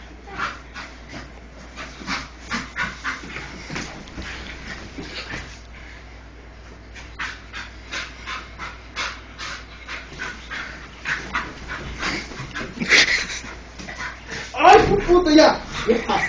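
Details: An English Bull Terrier pants and huffs in quick, breathy bursts while rough-housing with a person, whose voice is heard nearby.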